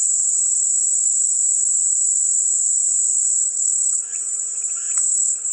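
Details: Steady high cicada buzzing fills the whole stretch, joined near the end by a short burst of lower rattling chirps, with a faint low hum throughout.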